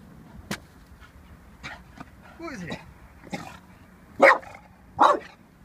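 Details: Eighteen-month-old Staffie named Vinnie reacting warily to a balloon: a falling, whiny vocal sweep, then two strong barks close together near the end, with a person's voice in between.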